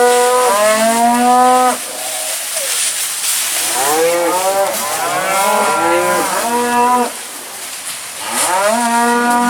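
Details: Black Angus cow-calf pairs at a dispersal sale at Lanesboro Sales Commission, Minnesota, in June; several overlapping harmonic moos, some rising then falling, in long bawls of one to two seconds, with a steady hiss behind.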